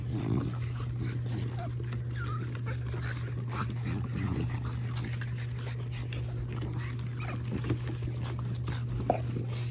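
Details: A litter of French Bulldog puppies at play outdoors on a sunny day in a kennel yard, December 1. Soft scattered whimpers and small grunts come and go over a constant low mechanical hum, with occasional human speech.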